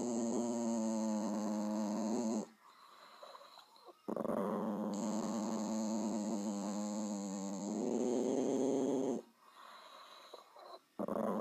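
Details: Loud, sustained dog growling in long, harmonic, rumbling bouts with brief pauses between them, the tone wavering slightly through each stretch.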